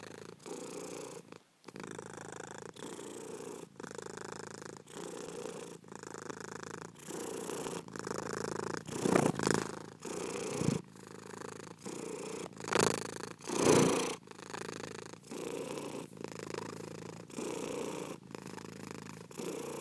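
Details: Domestic cat purring steadily: a low, rumbling vibration in breath-length cycles of about a second, split by short pauses, with a brief silence near the start and louder rustling bursts around nine and thirteen seconds.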